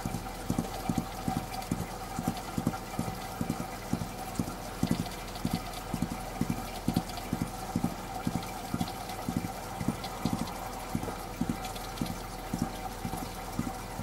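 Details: A gerbil stamping its feet: rapid dull thumps in quick bursts, about three to four per second, repeated throughout with brief gaps, over a steady low background hum.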